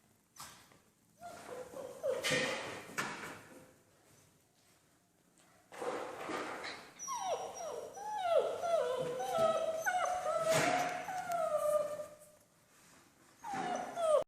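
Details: Young German Shepherd puppies, six weeks old, Von Forell line bred on Grim, meeting a slippery floor for the first time; scattered yips and scrapes, then a long run of descending whimpers and whines, indoors.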